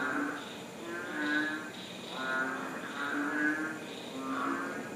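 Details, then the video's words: Frog chorus recorded in April 2013 at Nakhon Ratchasima, Thailand: several overlapping callers give pulsed, rattling croaks roughly once a second. Low buzzy notes alternate with higher grating bursts in a steady, uneven rhythm, with no other clear sounds. "Frog chorus"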